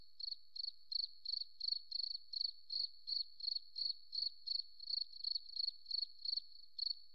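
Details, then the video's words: A cricket in the forest producing evenly spaced, shrill pulsed chirps, around three each second, with no other sounds present. "Beautiful Cricket Sound"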